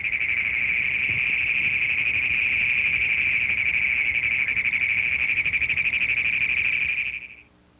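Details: A Great Plains toad (Anaxyrus cognatus) in Missouri, a prairie species that breeds in flooded fields and riverside ponds, gives its advertisement call. It is a long, shrill, rapidly pulsed trill, a series of rapid chugging sounds held for about seven seconds.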